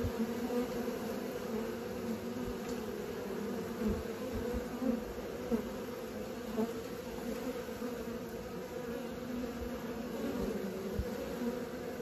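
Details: Honey bees learning to fly, a swarm's steady low droning hum with a deeper band under a higher overtone, unbroken for the whole stretch, with a few soft knocks and ticks underneath.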